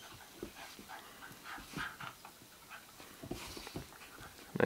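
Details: Basenji siblings play fighting on dirty laundry give short, scrappy grumbles, whines and huffing pants in irregular bursts.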